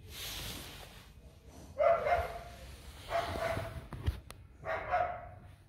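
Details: Purebred Rottweiler puppies from the litter of Siro and Loki, just over a week old, starting to toddle and about to open their eyes; three short tonal whimpering yelps, about one every one and a half seconds, in a quiet room.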